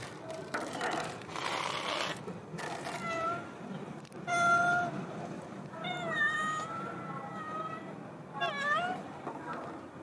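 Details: Large yellow cat that waits daily at the outside door gives several meows, one sharp and clear, others wavering and then dipping, over a background of shuffling and a human voice.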